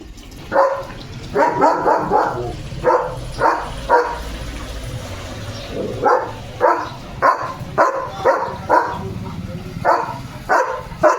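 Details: German Shepherd dog barking loudly early in the morning during his barking duty at a dog seen outside; sharp, deep barks come singly and in quick pairs and triplets, about twenty over the stretch.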